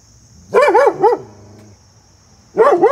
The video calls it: vizsla dog go bark bark